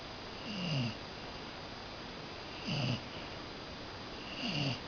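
A Cocker Spaniel snores in low, rasping breaths that come about every two seconds.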